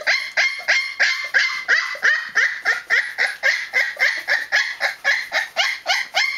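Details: Twenty-day-old Newfoundland puppy protesting noisily, a steady run of bright, squealing yelps repeated roughly three times a second with no other sounds.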